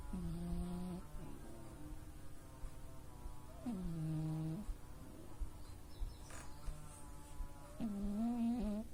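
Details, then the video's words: Oz, a male pet cat, snoring unusually loudly while asleep at home: three drawn-out, nasal, tonal snores with stacked harmonics, each about a second long and spaced several seconds apart, over a steady low indoor hum. "猫のいびき【音大きめ】 Cat Snoring"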